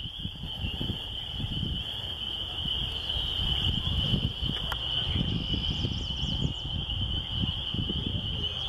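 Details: Chorus of spring peepers near a country church, the many high peeps blending into a continuous bright trill throughout, with strong low-pitched rumble underneath and a faint higher chirping near the middle.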